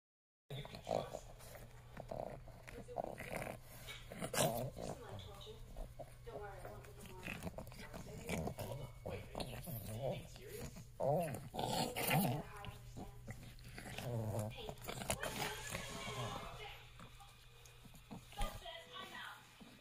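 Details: A Boston Terrier puppy growls and grumbles in play during a tickle fight on 9 January 2023 while a person talks and laughs nearby.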